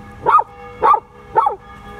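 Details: An 11-month-old male Samoyed who loves to sing gives three short, rising-and-falling yodeling yelps about half a second apart.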